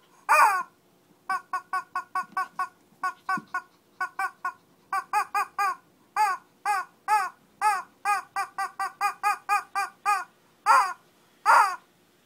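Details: Shih Tzu in a mini fight, Kochi, Japan. Almost nonstop rapid yapping, several barks per second in steady runs, with a few longer, louder barks standing out at the start and end.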